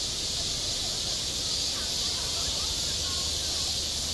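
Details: A steady, high, hissing drone from cicadas on a school playground in the height of summer, unvarying across the whole stretch, with a low rumble and faint murmurs underneath.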